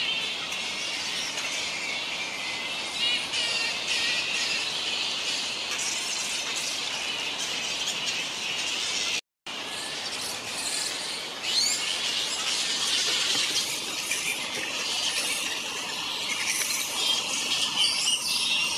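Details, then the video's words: Many grey-headed flying foxes in a large fruit bat colony on the NSW Mid North Coast, Australia, keep up constant high-pitched squabbling screeches and twittering, rising and falling in intensity, with a short silent gap midway. "Grey headed Flying Foxes (Pteropus poliocephalus) in large colony"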